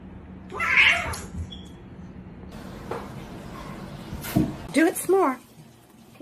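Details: Domestic cat meowing with short, bending, harmonic cries near the end, among people talking, laughing and applauding indoors.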